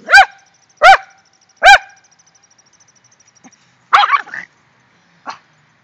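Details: Excited Rat Terrier barking after the dogs found a shrew: three loud, clipped barks about a second apart, a pause, then a rougher, noisier yelp and a short faint call.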